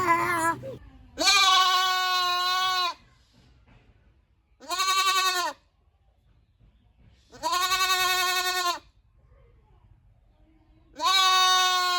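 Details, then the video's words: Goat uttering four drawn-out, shaky bleats spaced a few seconds apart, each strong and nasal, with near silence between calls. "Goat Sounds Baa Baa"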